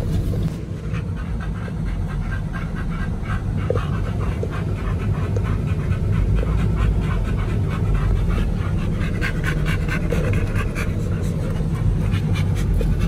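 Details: Dogs Oliang and Nomyen at a dog hotel during a raw-fed picnic meal of chicken and pork: rapid, rhythmic breathy bursts about four per second, continuing steadily over a constant low rumble throughout.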